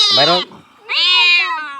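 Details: Cat being freed of a fish bone stuck in its mouth without surgery gives two loud, strained meows, the first falling in pitch and the second rising and then held, with a short gap between them.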